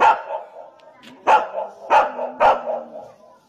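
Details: Golden Retriever kept with tigers, barking four times at uneven intervals, sharp loud onsets with short decaying tails and a low steady hum between barks.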